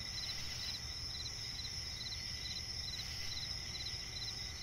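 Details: Crickets calling in a night-time forest swamp, a ceaseless high-pitched trill layered with bursts of quick repeated chirps, set against an even low background rumble.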